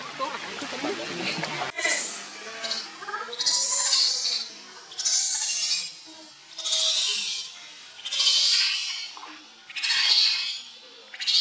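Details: Baby monkey named Leo crying and begging its mother for milk, very hungry: after a brief burst of human voices, shrill high screams come in long wailing bursts about every one and a half seconds.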